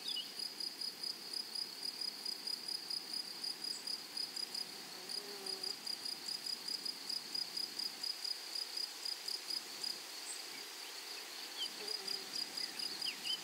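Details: A meadow chorus of grasshoppers: a sharp, high-pitched ticking buzz pulses quickly and evenly throughout, with faint scattered chirps and soft low rustles in the background.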